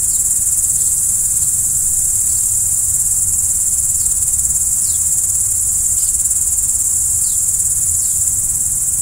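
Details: Crickets trill nonstop at night in a bright, even chorus, with short descending chirps repeating roughly every second and a low rumble beneath.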